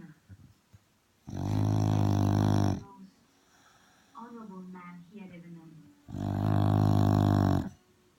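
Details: Dog asleep on a settee after barging onto it, snoring loudly in two long, rough, low buzzing breaths about four seconds apart, with television speech heard faintly in the gap between them.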